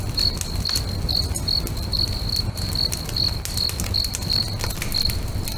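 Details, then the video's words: Crickets singing beside a crackling bonfire next to a lake at sunset: a steady high chirp pulsed about twice a second, with fire crackle and pops and a low rumbling background throughout. "FIRE & CRICKETS AMBIENCE"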